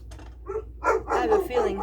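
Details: A German Shepherd, a female pet who barks at everything, gives several loud, rough barks in quick succession, alerting to a neighbour's arrival.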